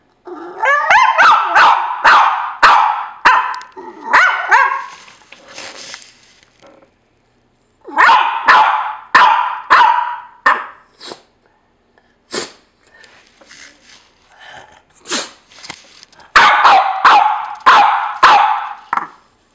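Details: Complaining household dog, apparently upset that another dog occupies his spot; bursts of rapid harsh barking mixed with whiny rising yelps, separated by short pauses, three main bouts with scattered single barks between.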